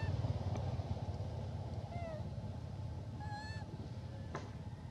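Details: Elpida, a female hybrid monkey requesting food, gives brief, tonal, slightly rising and falling coos, two in quick succession, set against heavy, droning low-frequency noise.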